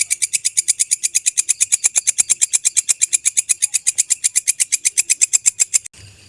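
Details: Belalang kecek grasshopper call recorded for songbirds to learn from: continuous rapid, rhythmic, dry ticking pulses, high and buzzy, ending abruptly near the close with a short quiet hiss.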